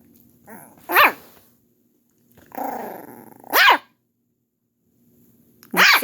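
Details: Pet dog indoors barking at his older sister, another dog: a soft low grumble then sharp rising barks spaced about two to three seconds apart, with a quieter growly stretch between them.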